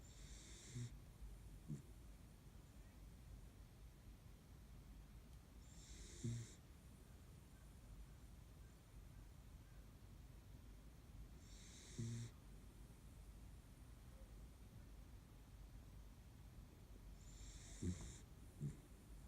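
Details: Midday nap by the window for a Kaninchen dachshund, snoring quietly: four hissing, snorting breaths spaced about six seconds apart, each with a short low grunt, against low constant background hum.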